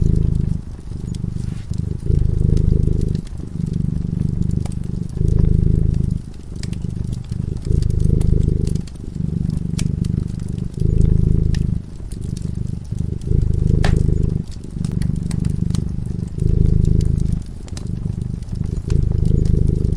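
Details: Peaceful sleeping cat purring beside a crackling fire: a continuous low rumble rising and falling in regular breath-long phases, with fire snaps and pops scattered throughout.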